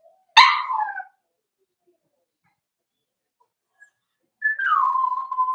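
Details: Four-week-old Cavalier King Charles Spaniel puppies from Daisy's litter in their pen: one sharp, bright yip, about three seconds of quiet, then a thin whine that slides downward and holds steady on one tone.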